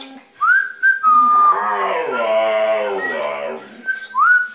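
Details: Husky-malamute mix dog howling during a playful 'music lesson' with a young border-fox mix puppy: a long, rich, wavering howl rising then sinking, framed by sharp whistled tones at start and end.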